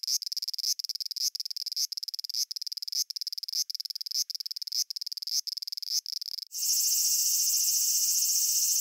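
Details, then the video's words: Cicada in Japan giving rapid clicking pulses in short groups, repeated roughly every half second, then switching abruptly to a loud continuous shrill buzz. "Cicada Sounds and Cicada Songs"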